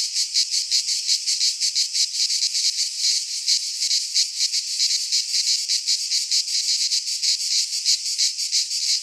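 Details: In a Greek pine forest in midsummer, cicadas produce an unbroken shrill rasping chorus that flutters with fast beats, roughly three pulses a second standing out over the steady hiss.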